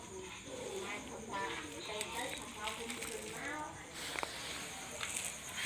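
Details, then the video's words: Puppies playing and quarrelling at night make a run of thin, wavering whines and squeaks, with one sharp click near the end, over a steady high hiss. "Puppies quarrel and play at night"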